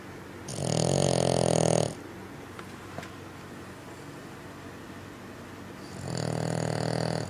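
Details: A sleeping Bugg dog, a pug cross, snoring loudly indoors. Two long, harsh, rasping snores, one at the start and one near the end, with a quiet stretch of room hush in between.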